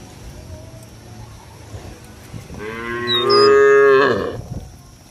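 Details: A cow in a village field calls its companions to head back to the barn with a single long, rich moo that swells and fades, a brief bird chirp overhead.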